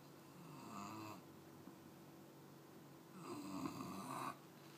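An English Bulldog puppy snores in long, rattling, nasal breaths separated by quiet pauses.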